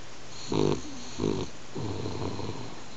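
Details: Sleeping pet French Bulldog Hanako snores, the snoring growing louder: three rough, buzzy snore pulses in quick succession, the last one longer and more drawn out, over a low steady hum indoors.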